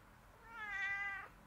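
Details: A cat's clear single meow, swelling and holding steady before dropping off, in a quiet room.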